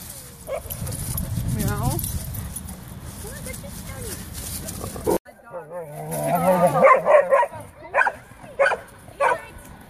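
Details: Several Vizslas gathered at a dog park give sharp barks and high, whining yips among human voices.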